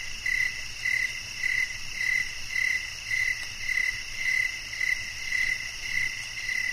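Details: Repeated cricket chirps, short pulses about every half second, some slightly longer, set against a continuous high-frequency insect hum.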